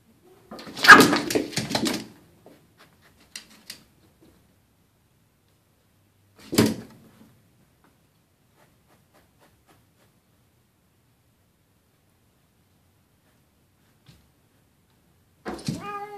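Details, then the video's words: Boots, an indoor house cat, confronting a visiting neighbourhood cat through a glass door: a harsh, noisy burst for about a second, a sharp thud, long quiet gaps with small knocks, then a short harmonic wail at the end. "Cats fighting through glass door"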